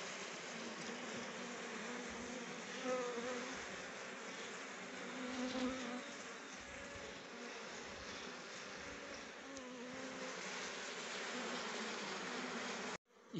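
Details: Steady buzzing of numerous honey bees at rhododendron flowers, harvesting nectar for honey; the drone swells as bees fly close, early and midway, ending in an abrupt cut.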